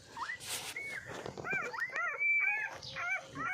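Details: Puppies drinking milk give a run of high, arched squeaks and whimpers, some rising then falling, several overlapping in quick succession, with brief rustling between.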